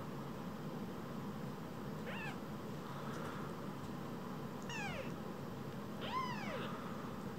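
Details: Rescued baby kittens, two of them, barely larger than a phone; three thin, high mews with a falling end, spaced a couple of seconds apart, above a constant low hum.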